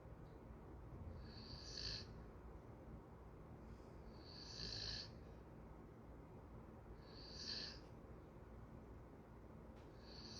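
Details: Golden retriever dozing, each slow breath carrying a thin hissing whistle, four snores about every three seconds against steady low background hum.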